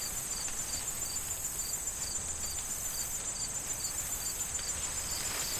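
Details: Autumn corn field crickets calling in the wind shortly before the harvest: evenly spaced high chirps, about twenty in a few seconds, over a continuous ringing trill, with breezy rustling of corn stalks throughout.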